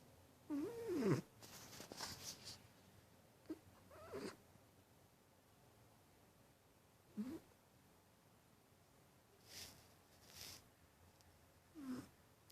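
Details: Sleeping domestic cat snoring indoors: short nasal, droning breaths come every few seconds, some with a wavering buzzy edge, separated by quiet pauses, plus soft airy hisses between them.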